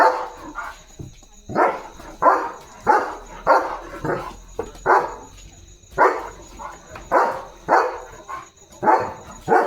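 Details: Guarding its yard at night, a German Shepherd barks loudly and repeatedly, a steady series of strong barks about every half second to second, with a faint continuous high-pitched hum underneath.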